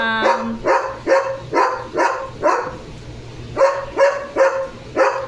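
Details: German Shepherd Leo, a household pet, keeps barking in a long steady series of about eleven sharp barks, evenly spaced near half a second apart, with a brief lull midway.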